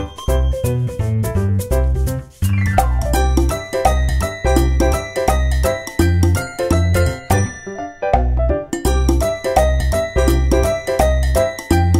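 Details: Upbeat jingling background music with bell-like notes and a steady beat, with no animal voices.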